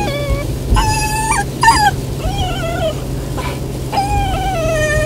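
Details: A Golden Retriever puppy that dislikes the car ride whines in high, wavering tones, sounding unhappy, over a steady low engine rumble.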